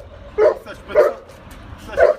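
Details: Neapolitan Mastiff giving three short, deep-toned, muffled barks about half a second to a second apart, with little other sound.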